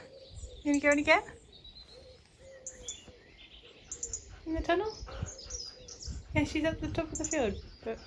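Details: Female Husky outdoors in a field making strange sounds on an ordinary day: three bursts of harmonic, wavering whines and yodelling calls, each about half a second to a second long, with steady thin tones, faint chirps and low rustling between them.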